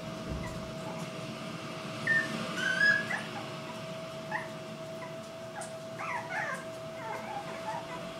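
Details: Litter of Irish Black and Tan Jack Russell Terrier puppies, two females and two males, whelped October 24, 2014, at home; thin high whimpers and short yips come in scattered bursts over a steady low electrical hum.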